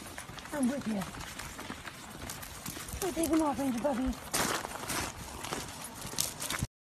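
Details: A husky makes two short bursts of wobbly, yodel-like vocalizing with quick pitch swings, separated by a pause of about two seconds, over steady background chatter and a brief noisy rush near the end.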